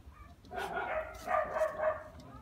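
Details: Phu Quoc Ridgeback puppy, 2.5 months old, descendant of Vằn and Mowgli, showing early hunting instinct: a wavering, high, tonal yelp stretched over about two seconds, rising and falling, above a faint low rumble.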